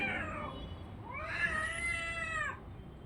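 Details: Orange and white domestic cat giving a short falling meow, then a sustained harmonic yowl that rises, holds and fades over about a second and a half.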